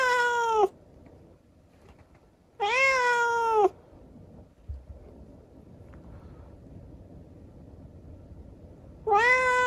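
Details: Night talk from a rescued kitten with a disabled leg: three strong, tonal meows about a second each, the first cut short, separated by quiet gaps with a small bump of handling noise.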